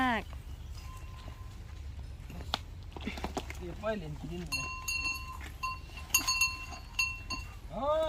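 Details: A young Asian elephant, impatient and wanting to play (it is about to be let out to a dirt pile), gives loud, wavering squealing trumpets, with people talking nearby.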